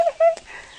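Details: Four-week-old puppies on their first trip outside, one giving two short whining yelps, a steady tone then a brief higher note, followed by soft rustling.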